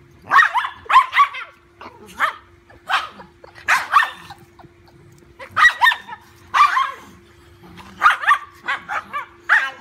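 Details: Dachshund at play with a large golden retriever puppy, letting out bursts of sharp, high barks, often in pairs or triplets, spaced roughly a second apart over ten seconds, with a faint steady hum behind.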